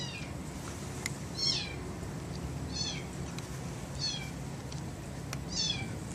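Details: Four stray kitten siblings, born to a young white street cat near a residential bus terminus and helped by a black aunt cat, utter thin, high, downward-sliding mews, about one every second or so, over low steady background rumble.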